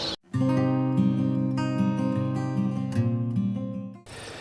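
Strummed acoustic guitar plays steady chords, with no animal sound heard.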